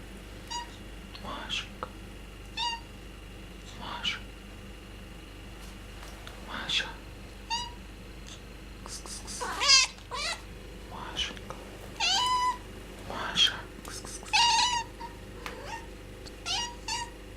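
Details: Domestic cat meowing indoors in a funny way, several short harmonic mews repeated irregularly over about seventeen seconds, some rising and bending, with quiet background speech and a steady low hum.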